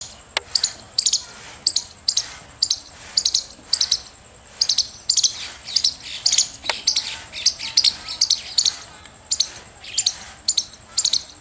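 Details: Squirrel chirping, a rapid series of sharp, high clicking chirps in short bursts, repeated roughly twice a second throughout, with a faint steady high hiss behind.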